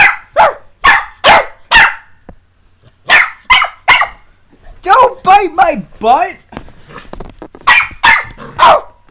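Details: Puppies Jessie and S'mores at play, rapid sharp barks in a burst at the start and again near the end, with a person talking in between.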